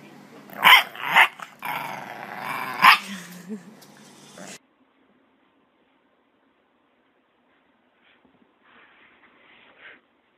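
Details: A dog barks in loud, sharp bursts, several barks and a low growling stretch packed into the first four seconds, followed by near silence with faint scratchy sounds near the end.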